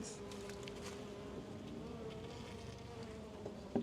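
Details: Western honey bee (Apis mellifera) colony in a backyard apiary in Florida, early spring: a steady, low, unbroken droning hum of many bees at an open hive during an inspection.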